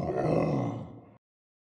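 A gorilla gives one deep, rough grunt lasting just over a second, throaty and rumbling, then silence.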